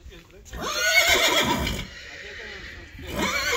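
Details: Friesian horse at a farm keeping 25 Friesians, horses turned out in a very wet meadow; a loud whinny falls in pitch over about a second, a second whinny starts near the end, with Dutch speech over it.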